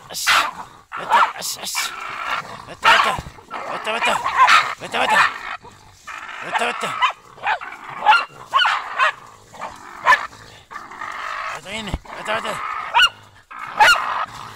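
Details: German Hunting Terrier named Brita giving a long run of sharp, high yelping barks in quick irregular bursts, some drawn out into whining yelps, with brief pauses between volleys and human voices faintly audible.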